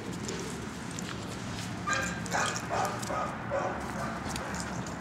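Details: Mr. Bob, a short-coated Chihuahua up for adoption, recorded 12/13/2014, gives a few short, high whimpering yips clustered in the middle seconds over a constant low room hum, with a person nearby coaxing him to sit.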